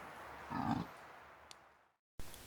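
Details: In the New Forest in early October, during the rut, a dominant fallow deer buck with his harem gives a single deep, belching groan.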